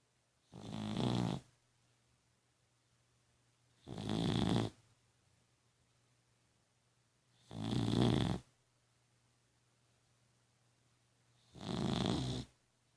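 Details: Sleeping dog snoring loudly, four rough, breathy snores evenly spaced roughly every three and a half seconds, quiet between them, over a faint constant low electrical hum in a small room.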